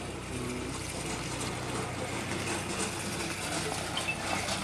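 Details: A steady engine-like rumble with broad hissing noise and a low droning hum runs throughout, with faint speech-like sounds and no animal calls heard at a Karapan Sapi bull-racing practice ground in Asemanis, Pamekasan, Madura.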